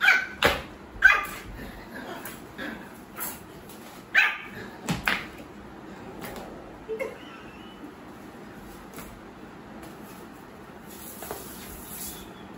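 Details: Pomeranian puppy, a young pet just starting to bark, giving short high yappy barks in a scattered burst of about six over the first five seconds, then quieter sounds and a room hum.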